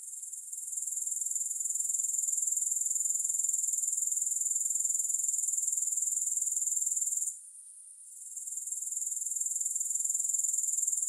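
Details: Grasshoppers heard without music: a steady, very high-pitched shimmering trill, finely pulsed, that fades and dips out around the seventh second before swelling back to full strength.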